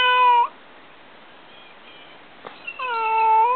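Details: Found kitten, feared sick or injured, gives two long, loud meows, one at the start and one at the end, each steady and slightly falling, with a quiet gap and a soft knock between them.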